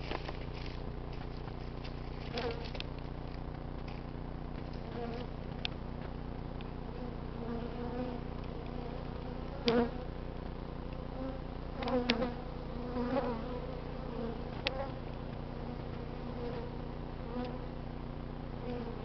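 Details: Honey bee swarm in an oak tree on a cold early-March day in southern California, urban setting, queen escaped; steady low droning hum throughout, with brief louder buzzy passes of individual bees around 10 and 12 seconds.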